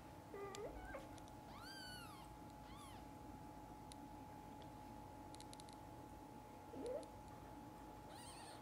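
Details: Mother cat with her kittens indoors; high, arching mews that rise then fall, several in quick succession, with a softer call near the end over a steady electrical hum.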